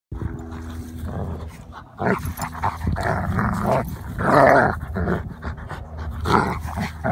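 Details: German Shepherd Odin and Labrador Remington play fighting by a garden: nearly continuous rough snarls and throaty growls overlapping between the two dogs, swelling into a louder tangled burst midway, with brief gaps between bouts.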